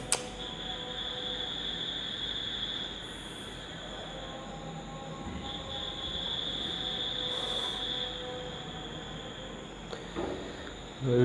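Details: A steady high electronic whine over soft background hiss, with a brief thump at the end and no animal voices.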